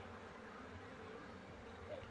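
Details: Honey bee colony nesting under a cupboard in a house for four days, smoked before being moved into a cultivation box; a dense, steady low droning buzz fills the whole stretch without pause.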